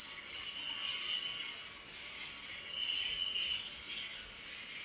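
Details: Continuous high, ringing cricket trill at night, with weaker, lower pulsed chirps rising and fading beneath it.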